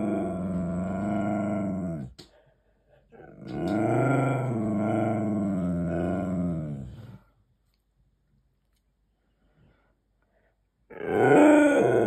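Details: Pet Siberian Husky talking back while demanding treats indoors: two long, wavering, harmonic woo-woo vocalisations with rising and falling pitch, a pause, then a short loud burst at the end.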